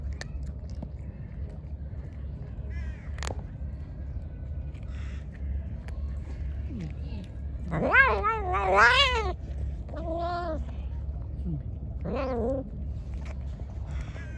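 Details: Angry, hungry pregnant stray cat, fed and then attacking: a burst of wavering, yowling meows around eight to nine seconds, then two more quavering cries, over constant low-pitched background hum.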